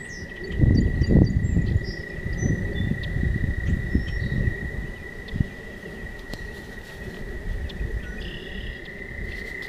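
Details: Toads singing by night on a walking path; a steady high trill carries through beneath loud low rumbling bursts of wind or handling noise early on, with a few faint chirps and clicks above.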